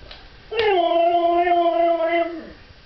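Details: A Siberian Husky, on its second attempt at learning to howl, gives a steady, drawn-out howl that drops in pitch as it fades.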